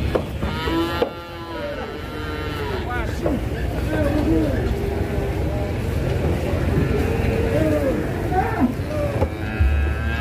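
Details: Cattle raging while being loaded onto a truck in Indonesia; drawn-out, wavering harmonic moos among shouting people, clapping and background music.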